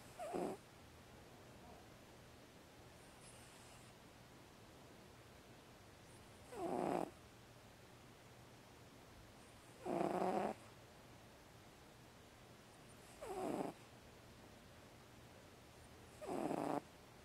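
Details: Sleeping pet house cat producing breathy snoring noises, five short rasping bursts spaced roughly three to four seconds apart, each about half a second long, over a quiet indoor background with a faint steady hum.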